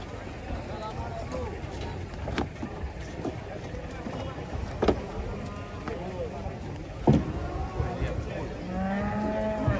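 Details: Cattle coming off a truck in Indonesia, a female and a male among three animals, give low drawn-out moos near the end, amid sharp knocks, clatter, engine noise and occasional voices.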